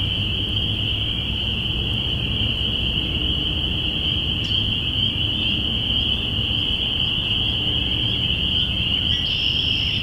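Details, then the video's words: Early-spring spring peeper chorus, recorded binaurally April 5, 2017. Countless overlapping shrill peeps hold a constant ringing tone throughout, and a short, higher-pitched note appears in the final second. "Spring Peepers"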